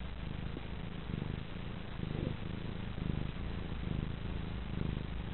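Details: Petaline, a female pet cat, half asleep and content on her owner's lap, purring steadily: a low rumbling drone that swells and fades in rhythmic breath cycles about once a second, indoors with faint background hum.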